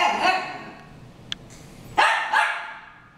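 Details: Dogs Harry and Ferris brawling: a loud harsh bark opens, a quiet gap with a sharp click follows, then two more rasping barks in quick succession.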